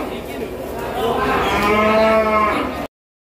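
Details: Limousin cattle at Pasar Kliwon cattle market in Kudus ahead of Eid al-Adha; a single drawn-out harmonic moo rising in loudness midway, over steady market crowd noise and chatter.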